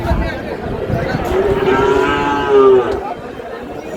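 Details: A Sahiwal bull calf lows once in a sustained, flat moo of about one and a half seconds, swelling louder at its close, amid crowd murmur where a Comilla farmer is buying calves on 27 March.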